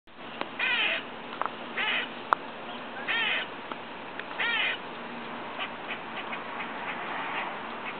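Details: A squirrel outside a window next door, eating and making unusual noises: short bursts of harsh, buzzy, layered squeaks every second or so, then fainter ticking clicks over a steady background hiss.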